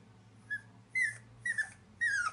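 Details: Black and white Boston Terrier puppy wanting a bath, whimpering beside an empty tub indoors: four short high whines, each sliding downward, the last three louder and about half a second apart, over a steady low hum.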